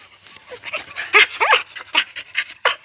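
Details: Keeshond puppies born 19 April 2019, panting in quick breathy bursts with a few short squeaky whimpers mixed in, recorded close up indoors.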